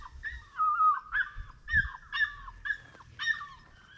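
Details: Plott Tan puppy, a cross of Plott hound with black and tan coonhound, between eight weeks and five months old, giving six drawn-out, bending yelps spaced about half a second apart, each falling slightly at the end.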